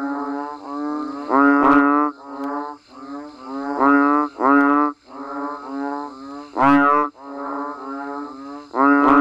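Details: Banded bullfrogs and frogs calling naturally while rain falls: deep, nasal, moaning notes about a second long, overlapping in a steady chorus, with a new call swelling up roughly every second and a half.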